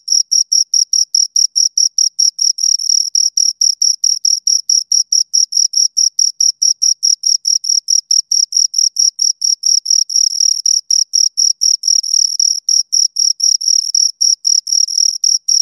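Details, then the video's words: Two crickets chirping close up: high, clean trilled chirps in a steady stream of short pulses, roughly two per second, with a brief fainter overtone above, and no other sounds. "Two Crickets Chirp Sounds"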